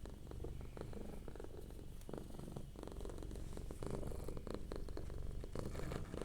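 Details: Domestic cat purring softly while relaxed indoors, a steady low rumbling purr with rhythmic pulses and slight swells in loudness, close to the microphone.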